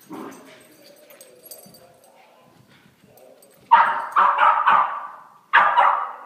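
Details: Puppies at play: a low soft whine at first, then a sudden run of four loud yappy barks in quick succession followed by one more after a short pause.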